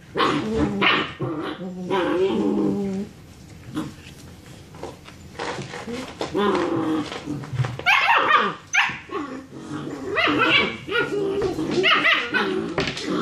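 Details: German Shepherd puppies, six weeks old, roughhousing after their dinner; warbling growls and whines early, a quieter middle, then loud bursts of squealing barks and snarls repeated quickly in the second half.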